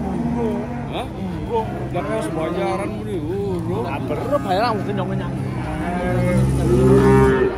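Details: Cattle in Indonesia in the Idul Qurban season giving wavering, bending moos in quick succession, ending in a long, loud steady low call, with music in the background.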